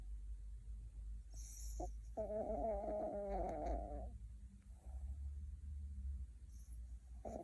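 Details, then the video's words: Dreaming puppy in deep sleep, twitching and grinding its teeth: low rumbling breaths under a short nasal, harmonic whine-like snore lasting about two seconds, then quieter breathing with faint rustles. "꿈꾸는 강아지 (코골이+이갈이+움찔움찔)"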